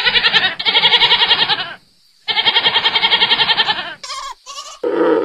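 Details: A goat on a farm gives two long, trembling bleats, each pulsing rapidly, separated by a short silence. Two brief high-pitched cries and the start of a lower bleat follow.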